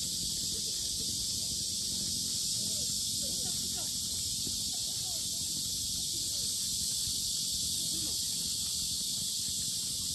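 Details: Cicadas at the Sinjeongho lotus park in Asan, Korea, very loud: a dense, unbroken high-pitched buzzing drone that holds steady throughout, with faint voices and rustling low beneath.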